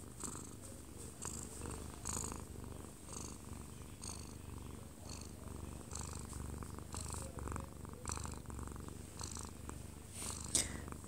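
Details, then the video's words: Odd-eyed Munchkin cat 꼬부기, aged one year and two months, purring up close as it sleeps in a man's arms at home; continuous low rumble rising and falling with each breath, soft rustles and a television playing in another room. "근접촬영 아빠 품에서 자는 꼬부기 골골이"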